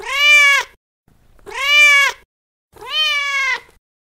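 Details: Three loud, drawn-out meows from a female cat in heat seeking a male, each rising then falling in an arch, rich in harmonics, spaced about one and a half seconds apart.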